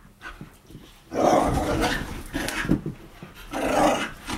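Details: Whippet girls Bug, Radish and Cheeky acting crazy in wild play; two loud rough growling bursts with rasping breathy texture, separated by a softer snuffling gap.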